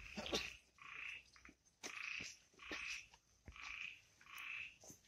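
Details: Frogs calling at night in the forest of the Amboli hills, Sindhudurg: buzzy, harsh croaks in bursts of about half a second, repeated in an uneven rhythm, with faint forest background and no music.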